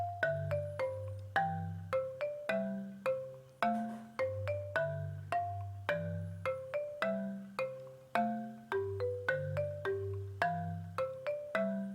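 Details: Cheerful marimba tune of repeating mallet notes over a bouncing low bass line.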